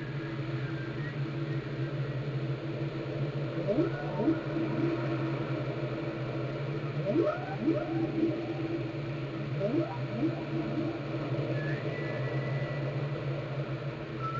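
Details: Whale song recorded in Glacier Bay, Alaska, by the National Park Service and NOAA: repeated low rising sweeps in clustered pairs, with a few higher thin whistled notes, over a constant deep underwater hum.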